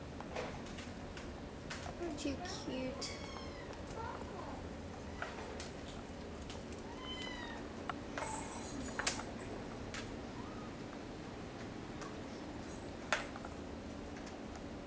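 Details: Kittens of a hairless Sphynx and Bambino litter at a cattery mew several times, short thin rising-falling cries early on, among scattered clicks, knocks and low voices.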